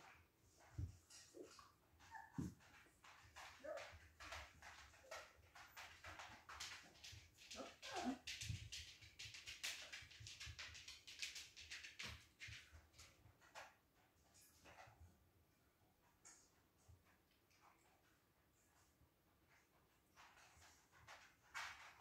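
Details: Siberian Husky puppies at play indoors: short, high yelps and whimpers scattered among dense scratchy scuffling and pattering noises, with a louder flurry of squeaky yelps near the middle before things quiet down.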